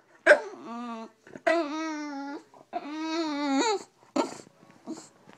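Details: Bulldog named Stella complaining in the morning indoors: drawn-out, harmonic whining moans rising and falling, three long vocal phrases about a second each, with short yelps between and a quiet room behind.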